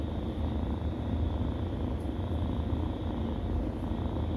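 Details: A steady low purr rumbles on throughout as kittens nurse, the drone never pausing and only faint brief ticks above it.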